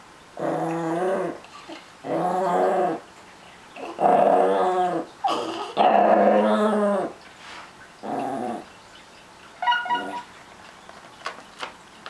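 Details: Chihuahua-Miniature Pinscher mix, one small dog indoors, possessive over his treats, growling in harmonic rumbling bursts about a second long, separated by short pauses, with a few sharper yips and clicks near the end.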